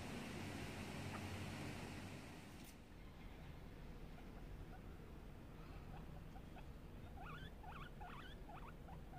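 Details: Guinea pig giving a series of short rising whistled squeaks, about four a second in the second half, over a steady low rumbling background noise and an early broadband hiss.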